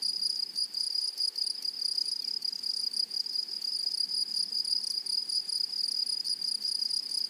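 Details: Grasshoppers in a flowery meadow produce a constant, sharp, high-pitched trill that pulses quickly and unevenly, with a weaker, higher ringing overtone above it and a quiet natural background.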